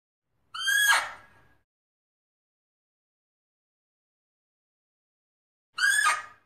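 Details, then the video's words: Fea's muntjac calling: two short, harsh, harmonic barks about five seconds apart, each sliding slightly downward and fading quickly, with silence in between. "เสียงเก้งหม้อ Muntiacus Sound"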